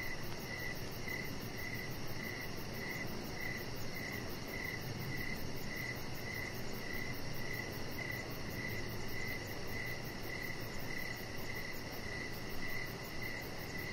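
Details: Outdoors on a deck at evening, crickets give a steady train of short, high chirps about twice a second, while a chihuahua puppy named Rocket rests nearby; a soft, continuous low hiss and a faint very high pulsing buzz underlie them.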